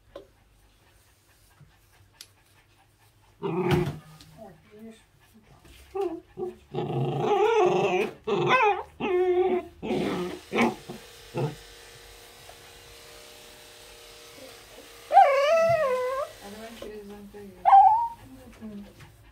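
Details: Young Pembroke Welsh Corgi protesting while being brushed indoors, giving bursts of gruff growling and barking, then rising, wavering whines and a sharp yelp near the end, with quiet stretches between outbursts.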